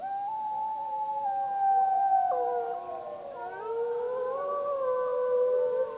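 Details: Gray wolves of the Snake River pack, with a pup among them, howl together in Wallowa County's Snake River Wildlife Management Unit on 25 July 2012. Several smooth overlapping voices rise and bend, forming a dense, wavering chorus.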